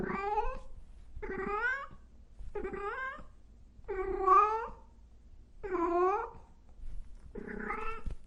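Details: Cats and kittens meow loudly in six drawn-out, wavering calls with rising and falling pitch, about one every 1.3 seconds. The final call is rougher and more strained.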